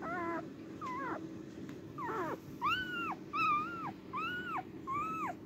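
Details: Cardigan Welsh Corgi on the day of giving birth, recorded 29 March 2024: high, thin whining cries, each arching up, holding, then dropping, about six in five seconds, over a low steady indoor hum.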